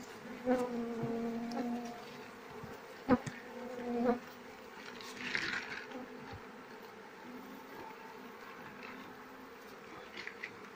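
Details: Asian honey bees from a colony without a queen, comb full of honey, giving a clear, tonal buzzing hum that swells in bursts over the first seconds, then fades to a quieter drone amid occasional handling clicks.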